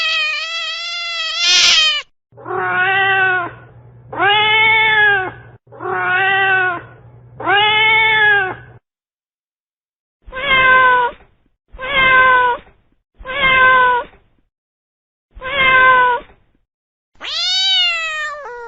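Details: Frightened, aggressive cat making a series of short, harsh meowing yowls, about a second each, repeated roughly every one to two seconds with brief pauses, a low steady hum under the first few, ending in a longer wail.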